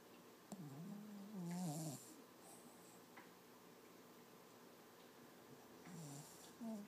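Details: A six-month-old Lhasa Apso puppy, Toby, snores and whimpers while dreaming: a run of low, warbling, voiced moans over about a second and a half, quiet breathing, then a shorter low whine.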